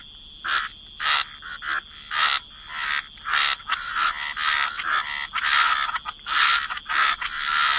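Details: Croaking frogs in a waterside wetland: rasping, pulsed croaks repeated irregularly about every half second, several callers overlapping at times, with a thin continuous high tone behind them.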